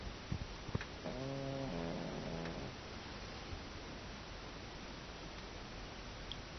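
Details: Pug named Jiro asleep indoors and snoring: one drawn-out, low buzzy nasal snore lasting about a second and a half, followed by steady background hiss and a few faint clicks.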